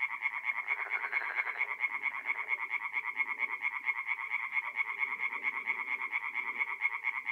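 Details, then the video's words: Mid-April night at a forest pond in North-East Italy, where tree frogs keep up a thick, even chorus of rapid grating pulses, while lower, softer frog croaks murmur underneath. "relaxing forest pond by night with singing tree frogs"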